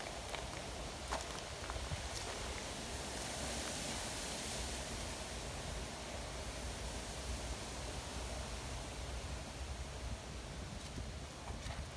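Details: Steady outdoor rushing noise with faint rustles and distant vehicle rumble, no animal voices.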